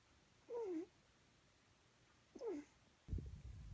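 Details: Sleeping Pug puppy with his tongue out, giving two short squeaky whines that slide downward, about two seconds apart, followed by a brief rustling thump.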